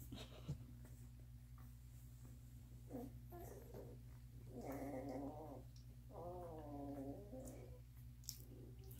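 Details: Puppies with full bellies, one nursing while others sleep, give two drawn-out, wavering whimpers, each rising and then sliding down for a second or more, over a steady low indoor hum with soft rustling.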